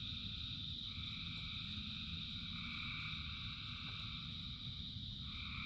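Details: Rain-soaked frog chorus with thousands of frogs singing. Sustained two-tone croaks overlap and shift in pitch, resting on a continuous shrill ringing, with the low patter of rain filling the background and a few faint clicks.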